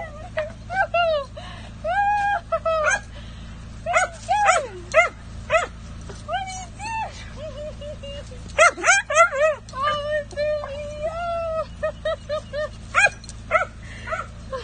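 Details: Dachshund greets his owner in glee after she returns from a quick vacation, licking her face. He gives repeated high whining cries and sharp yips in bursts, about two per second at their busiest, while a woman talks and laughs.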